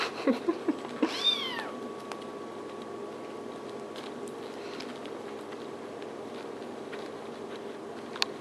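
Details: Kittens in a barn, several together and nipping at each other: a few short high squeaks, then one clear, rising-and-falling meow about half a second long, followed by quiet background hum.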